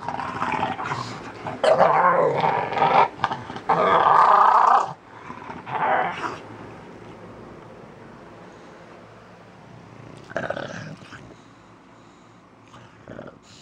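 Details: Snugs, an English Bulldog, in a morning-routine session: loud, gravelly growling and roaring-like grumbles fill the first five seconds, then trail off into a quieter, muffled rumble with a brief renewed burst near ten seconds.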